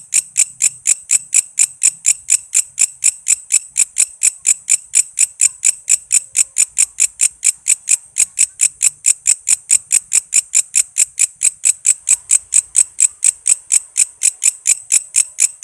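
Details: Walang kece cicada, a tutoring sound for songbirds such as cucak ijo and kacer: sustained rhythmic train of piercing, scratchy pulses, about four each second, very regular, with only slight low background noise.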